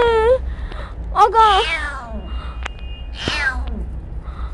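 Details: Petit, a stray kitten, gives a short high meow and then a longer, wobbling cry, with a further faint mew later. A woman speaks gently nearby amid low background hum.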